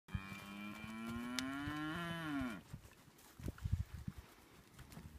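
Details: Hereford cattle from a sale lot of 22 head, four heifers and 18 steers averaging about 348 kilos. One long moo rises steadily for about two seconds, then bends and falls away. Scattered faint knocks and shuffling follow in a quiet pen.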